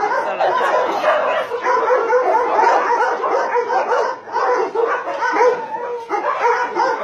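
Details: Many dogs at a combined meat farm and puppy mill in Nonsan, South Korea, in January 2017, among about 150 dogs including Dobermans, Shar-Peis, Chow Chows and Golden Retrievers; a dense, continuous chorus of overlapping barks and yips.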